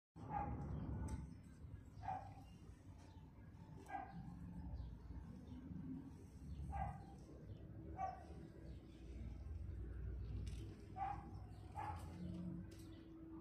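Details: A litter of two-month-old Pomeranian puppies sleeping, giving brief high whimpering squeaks every second or two over a low, steady rumbling background.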